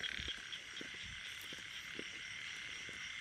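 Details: Frogs croak in short, low pulses repeated several times a second beneath a steady hiss of rain, on a rainy day near Korat, Thailand, while small and large frogs are being caught by hand.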